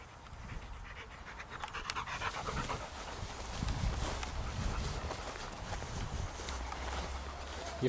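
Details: Rapid, breathy panting from Bailey, a male Lab/Retriever cross on a walk on a cloudy day, roughly four huffs a second and growing louder midway, while a woman talks to him over the top.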